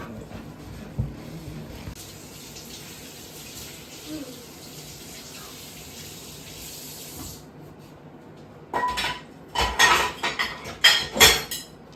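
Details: Running tap water fills a sink for about seven seconds with faint speech, then sharp clattering of dishes and splashing in bursts near the end.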